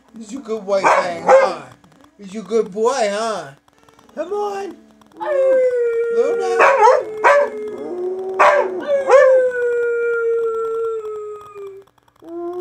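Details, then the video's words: Pet Siberian Huskies howling and talking: wavering, yodel-like yowls and short yips first, then a long steady howl that falls slowly in pitch. A person's voice can be heard among the dogs. "Husky Barking: Level 3 Howls"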